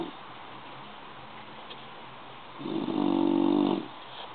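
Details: Bulldog snoring in sleep: one strong, buzzy inhaled snore swelling for about a second after a quiet pause, indoors with low steady hiss.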